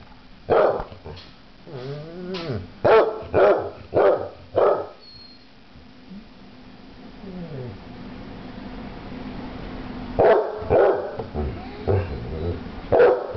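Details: Two basset hounds, Floyd and Fred, voicing their thoughts: a run of short, loud harmonic barks in quick succession, a quiet stretch with soft grumbling, then another burst of barks and yelps toward the end.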